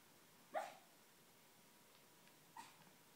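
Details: Sleeping schnauzer barking in a dream: one short, clipped woof followed two seconds later by a fainter, softer puff of a bark, the room otherwise quiet.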